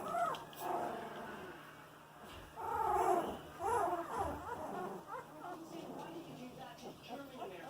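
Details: Eighteen-day-old Boxer puppies moving around and making noise; a run of small, high whines and squeaky whimpers that rise and fall, bunched in bursts, with soft shuffling in between.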